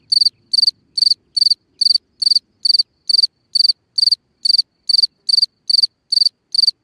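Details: Cricket singing at night at the mouth of a hole in the ground, clean bright chirps, each a quick cluster of pulses, evenly spaced about every half second against near silence.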